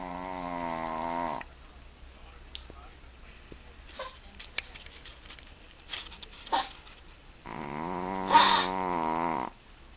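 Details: Sleeping Chihuahua snoring indoors: a loud, rough, harmonic-rich snore drawn out for over a second, a quiet pause with faint clicks and rustles, then a second long rasping snore.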